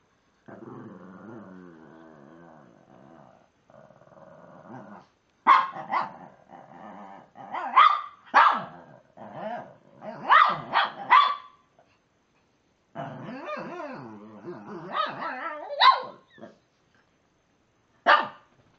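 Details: A male Shih Tzu gives low grumbling growls broken by sharp yappy barks, trying to get another Shih Tzu, who ignores him, to play.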